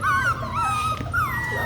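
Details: Labradoodle puppies indoors, whining in long thin high whistled whimpers that slide up and down, with steady low hum beneath.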